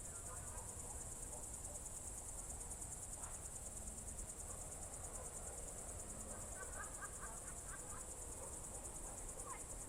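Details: Crickets calling at dusk in June 2023 at Novye Buregi, Novgorod Oblast: a continuous thin, buzzy high trill forms the backdrop, with a cluster of quick faint chirping notes from other callers in the latter half.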